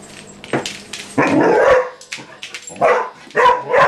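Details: Female Vizsla puppy April indoors, bothering the household cat Maggie: several harsh, clipped yips and barks in quick succession, mixed with rustling, praise of 'good girl' and brief music.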